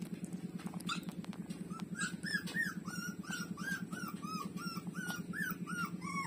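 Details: Street dog puppies, one called Lulu, breastfeeding from their mother; a run of short arched whimpers, about three per second, steady and repetitive above a constant low rhythmic hum.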